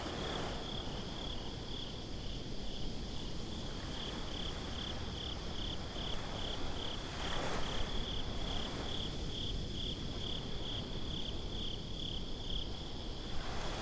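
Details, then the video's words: Crickets calling at night by the beach, binaural ambience: a continuous train of quick high chirps beaded closely together, with a soft rushing wave swell midway and constant low ocean rumble beneath. "Crickets at the Beach"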